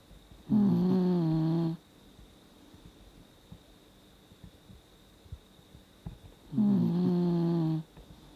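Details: A 17-year-old Dachshund snoring in deep sleep, a habit that grew with old age: two drawn-out, harmonic, slightly rising snores, each about a second long and six seconds apart, with quiet room hiss between them.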